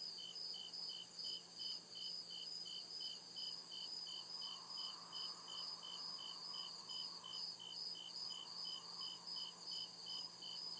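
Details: Night chorus of crickets deep in the woods, evenly repeated short high chirps roughly two or three per second layered on a constant shrill hum, low faint hum in the background.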